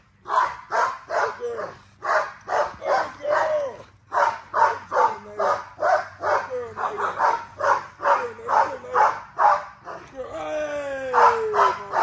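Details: Female XL American Bully barking during exercise, showing drive: a steady run of sharp, harsh barks about every half second, and a rising whine at the end.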